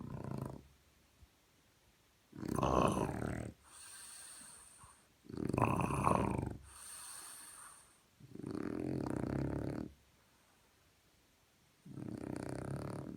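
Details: Morning snoring from a French Bulldog: loud, rattling, low inhalations every two to three seconds, each followed by a softer, airy, hissing exhale with a faint whistle.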